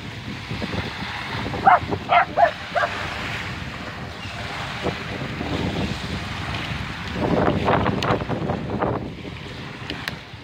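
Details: Two Scottish Terriers on the shore of Wolf Bay, Orange Beach, Alabama, bark at the waves during a daily walk; one hates the waves and tries to bite them when they are harder. They give a quick run of sharp, high barks over rushing surf and wind.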